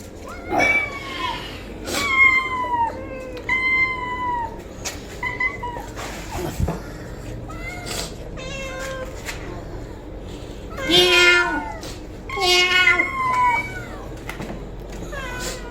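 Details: Domestic cat meowing: a string of clear, high meows, each sliding downward, with quiet gaps between calls. Two louder, overlapping bursts of meows come near the end over a steady low hum.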